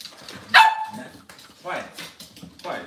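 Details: Cavalier King Charles Spaniel indoors in a kitchen on a cloudy Monday morning: a single abrupt, high bark, followed by softer murmuring sounds and room noise.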